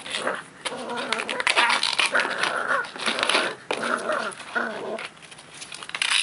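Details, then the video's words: A Cavalier King Charles Spaniel puppy, 12 weeks old, growls as he plays with a plastic pot outdoors. He gives high, whining growl bursts separated by short pauses, over clattering and scuffing noise. "Cavalier King Charles Spaniel) Growling at His Favorite Toy"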